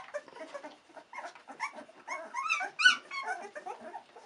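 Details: Australian Cattle Dog puppies, 16 days old, discovering their surroundings; a busy overlapping chorus of thin, high whimpers and squeaks, short rising and falling whines tumbling over each other with a few sharper yelps.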